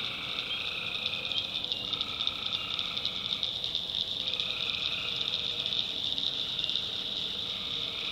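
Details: Tree frogs at night in a backwoods swamp of North Carolina produce an unbroken high-pitched chorus. Lower trilling bursts come and go every few seconds over a soft, crackling background.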